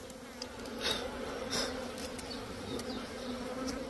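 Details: Small bees buzzing at their nest in a hut: a continuous humming drone, slightly louder in short swells, with faint ticks and rustles in the background.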